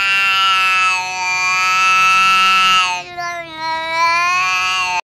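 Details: Pet cat giving one long, drawn-out meow lasting about five seconds, strongly harmonic and steady, then dipping and wavering in pitch near the end before stopping abruptly.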